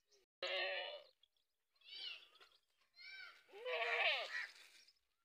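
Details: Goats on a farm bleating in a quick run of four calls, the first flat and loud, the later ones quavering and rising then falling in pitch, one overlapping another.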